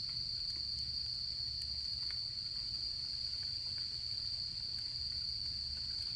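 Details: Autumn night insects give a constant shrill, high-pitched ringing that never pauses, accompanied by scattered sharp snaps from a campfire during the camping season and a soft low rumble.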